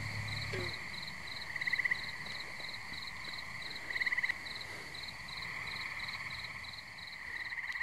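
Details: Tree frogs chorusing at a pond in New Jersey on a muggy night: a steady high droning chorus, twice broken by louder short pulsed trills, with a quicker regular chirping ticking along higher above.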